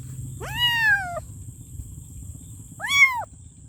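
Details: A kitten meows for its mom, two clear harmonic cries, the first longer and slowly falling, the second a shorter arched call, with low background rumble and a steady high-pitched tone throughout.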